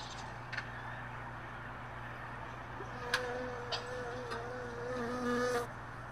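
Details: Early morning around hive boxes in a truck bed, where a few honey bees remain after most left overnight; a continuous buzzy drone, a clearer wing tone that rises and hovers midway, occasional clicks and bumps of handled boxes.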